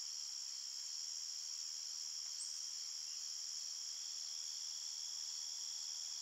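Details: An unbroken wall of high cricket chirping at night in a forest, layered in several shrill pitches and steady in volume from start to end.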